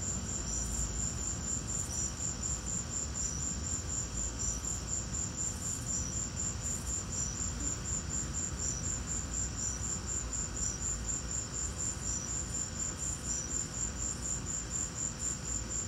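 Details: Crickets chirping during a lightning storm: a steady train of high, thin pulses, roughly two per second, running through the whole stretch over a low, constant rumbling background noise.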